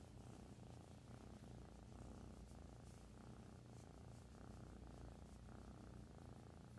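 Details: A new female kitten purring loudly like a motorboat: a deep, continuous rumbling purr with fine rapid pulsing, steady and unbroken for the whole stretch, with no other sounds over it.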